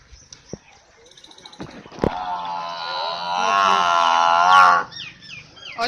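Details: Nili-Ravi buffalo offered for sale in Pakistan gives a long, drawn-out moo. The harmonic bellow swells steadily louder for about three seconds, then breaks off abruptly. It is preceded by scattered knocks and clicks, and brief bird chirps follow.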